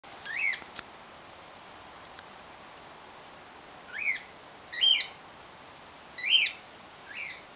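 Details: Little red flying-fox baby Reka, born in care after her mother was injured on barbed wire, with her mother in care awaiting summer release; five short, arched, high squeaks, spaced irregularly over several seconds, over a steady faint hiss.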